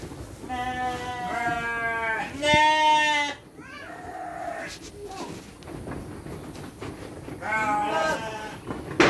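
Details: Farm sheep being fed dry feed with children: a few wavering bleats early and late, separated by children's speech and handling noise.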